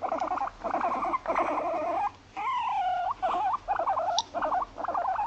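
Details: Pet female Abyssinian guinea pig Moru-chan, born 29 November 2017, living in an apartment, in everyday home conversation: wobbling mid-pitched squeals in short phrases, one longer rising-falling whine, then a string of brief chirping notes.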